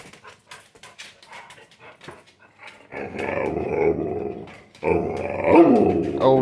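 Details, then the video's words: Pet dog in a small room making drawn-out, growly, moaning 'talking' sounds in two long bursts after quiet clicks and shuffles. Dogs Sadie and Boots are addressed; a person speaks over it. "Talking and Dancing dogs"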